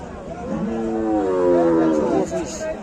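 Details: Cattle at the Gabtoli cattle market in Dhaka, Bangladesh, one giving a loud, drawn-out harmonic moo that rises then falls over nearly two seconds, while buyers and sellers haggle over prices nearby.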